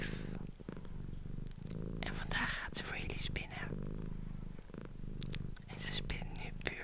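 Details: Female domestic cat purring while a woman whispers close to an ASMR microphone: a continuous deep, pulsed purr runs under repeated bursts of soft whispered speech.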